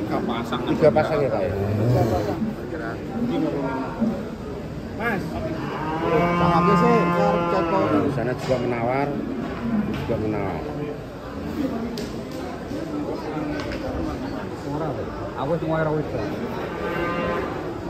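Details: A long, loud moo from giant cows coming down off a truck swells and fades over several seconds, followed by shorter lowing calls, with scattered voices and faint vehicle noise in the background.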